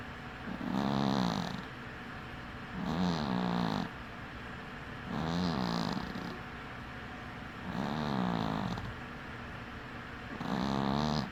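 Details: Sleeping cat with one eye open snores steadily: five nasal, buzzy breaths about every two and a half seconds, each with a wavering pitch, over low room hiss.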